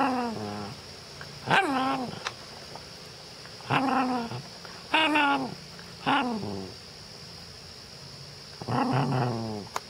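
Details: Cairn Terrier. A Cairn Terrier makes a series of long, wobbling, moaning vocalizations that bend up and down in pitch, like a dog trying to talk. Each burst lasts about a second, with short pauses between them.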